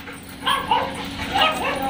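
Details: Dog at a boarding kennel in Jodhpur, India, recorded 22 May 2022: a few short, high, wavering whines or yips, under a second each, with a man talking in the background.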